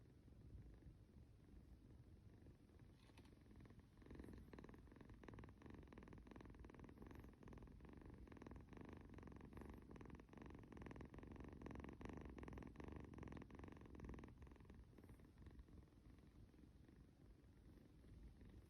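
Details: Snoring kitty purring while cuddled, a quiet rumble that becomes a louder, strongly pulsed purr from about four seconds in, then eases off near the end; brief rustling noises.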